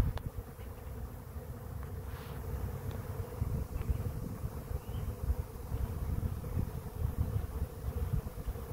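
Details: A swarm of bees piling into a swarm trap produces a constant low hum with a steady tone on top, growing a little louder and rougher toward the end.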